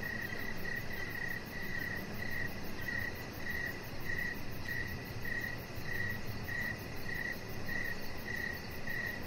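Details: Outdoor evening crickets near a deck, a pet chihuahua puppy lying close by; some fourteen high, clipped chirps follow one another at an unbroken, metronome-like pace against a dull continuous hum.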